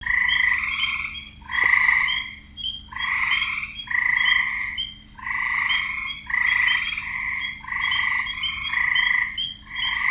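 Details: In a wetland, a chorus of frogs gives bright, nasal croaks in quick, overlapping bursts.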